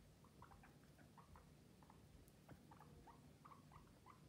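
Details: Guinea pigs talking: many short, high squeaks and chirps in quick irregular succession over a soft rustling patter.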